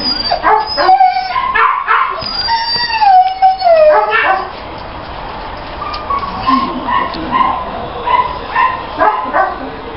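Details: Female Labrador Retriever, with a burst of wavering whines and quick yips for about four seconds, then softer, scattered yelps over steady background noise.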